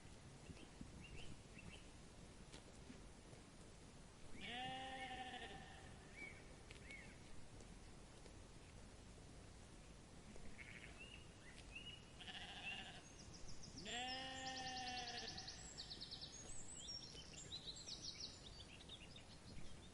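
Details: Sheep grazing in a meadow give two long, wavering, strongly harmonic bleats, one about five seconds in and another near fifteen seconds, with a few shorter bleats between them over a steady rustling outdoor background and faint high chirps.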